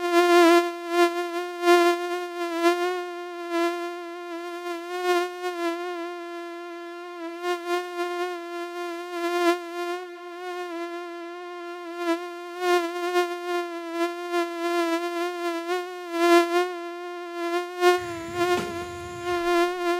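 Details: Mosquito flying, its whining buzz held at one pitch throughout with bright overtones, flickering in loudness as if moving near and away, with a burst of low noise near the end.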